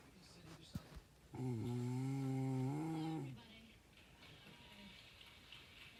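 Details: A sleeping dog makes one low, humming snore of about two seconds that rises a little in pitch before fading, with soft taps and quiet room noise before and after.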